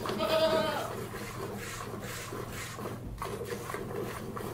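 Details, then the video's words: One goat being hand milked gives a single rich, nasal bleat lasting under a second near the start, followed by soft rhythmic squirting and rustling from the milking over a steady low hum. "One Goat Hand Milked"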